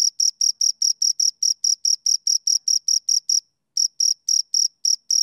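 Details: High, shrill cricket chirps from two crickets, repeated rapidly and evenly, broken by a brief silence a little past the middle before the chirping resumes at the same pitch.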